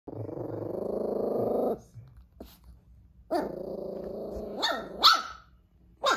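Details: Silver toy poodle named Eve, frightened by a lion doll set on the floor and hiding under the sofa; a long low rumbling growl, then short sharp barks and yips, with a person speaking nearby.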